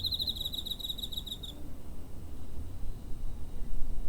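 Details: Cricket chirping near home on 7 September 2023, captured on a TASCAM DR-05. A single bright, rapidly pulsed trill of about one and a half seconds fades into quiet, low-pitched background rumble.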